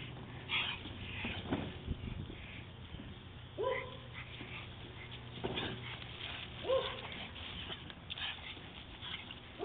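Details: Dog named Ayla on a walk, fixated on a squirrel that just ran up a tree, giving short high whines and yelps at irregular intervals over steady low background hum and rustling.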